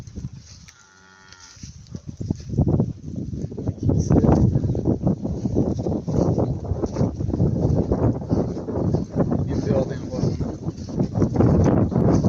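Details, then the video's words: Bulls being let out together onto summer pasture, five bulls per herd. Dense, continuous low lowing and bellowing throughout, with rough overlapping calls and steady outdoor background noise. "BUQALARIMIZ YAYLOVGA CHIQDI"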